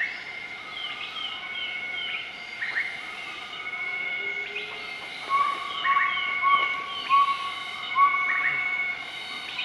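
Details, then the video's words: Group of southern white-cheeked gibbons giving a morning duet in Nakai-Nam Theun National Protected Area, Laos, March 2014; quick upswept whistled notes repeated in runs, then short rising hoots, over constant high insect drone. "Gibbon duet call in Nakai Nam Theun National Protected Area"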